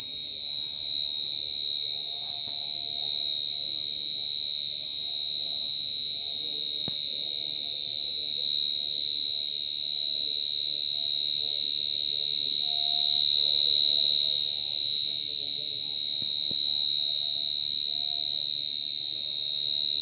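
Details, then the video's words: Mole cricket calling super loudly, a sustained high, buzzy trill pulsing rapidly and evenly for the whole stretch, with a single faint knock partway through. "Suara Jangkrik Gangsir Lagi Ngerik"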